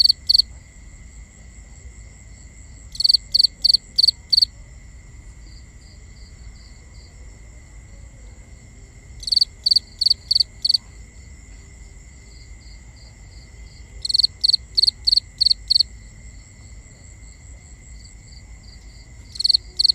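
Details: Crickets calling at night, binaural: short bursts of four to six shrill high chirps return every five to six seconds, separated by quieter faint trilling and low background hum.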